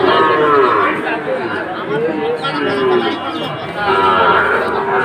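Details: At Ambari cattle market in Bangladesh, 2 October, Sahiwal bull calves give short, wavering moos one after another against constant background talk from the crowd.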